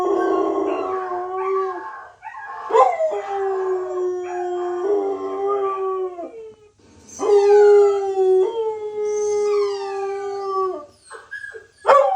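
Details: A puppy cries in long, level, mournful howls of several seconds each, separated by short gaps and sharp rising yelps, with a brief high squeal near the end.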